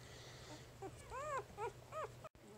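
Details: Newborn puppy from Jig's litter at three days old, giving three clear arched squeaks that rise and fall, the middle one longest, against a faint steady hum.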